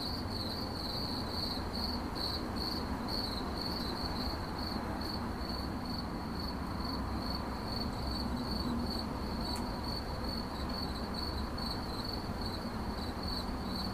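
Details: Cricket chirping for relaxation in 8D audio: a bright, high trill of closely spaced pulses continues throughout, with a faint click partway and steady low rumbling noise beneath.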